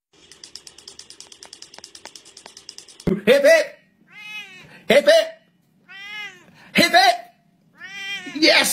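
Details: Kitten meowing repeatedly in a compilation of baby cats: loud harmonic, arching mews roughly every two seconds, after a few seconds of steady pulsed ticking at the start.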